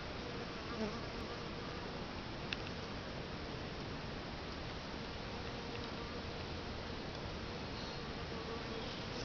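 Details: Bees at a bait hive baited two days earlier with sugar water and lemongrass oil: a dense, steady hiss-like hum of many insects, with a faint buzzing drone beneath and a few brief clicks.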